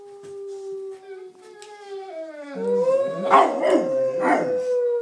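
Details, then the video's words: Two Bullmastiffs singing along to noises being made. A long, steady tonal howl drifts slowly downward, then a second, louder howl joins and overlaps it with wavering pitch and rough bursts. "Bull mastiffs singing"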